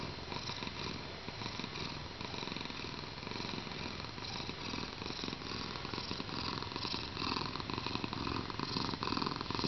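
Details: Contented purring from Pepsi, a thick 7.3 kg pet cat enjoying himself: an even, unbroken buzzing rumble pulsing quickly throughout, recorded close up in a small room.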